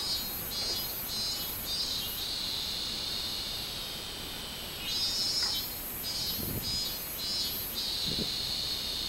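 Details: Robust cicada song from 24 July 2016, a rhythmic train of shrill buzzy pulses, roughly two per second, alternating with stretches of continuous droning whine, then the pulsing resumes; a few soft low thumps underneath.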